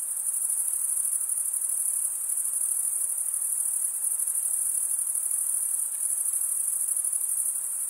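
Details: Continuous high trilling of crickets, the males rubbing wings together, forming an even pulsing drone that never pauses, over a soft background hiss.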